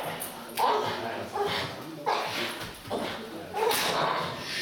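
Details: Twelve-month-old Staffordshire Bull Terrier named Azarro Staff de Collins Molosse doing puppy protection work at the 4DOGS.CZ dog school. Short, sharp barks burst out roughly every second, with people talking throughout.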